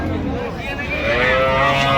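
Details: At the Ambari cattle market, Dinajpur, where cows and calves are sold: a moo that swells and rises in its second half, over a busy background of talking people.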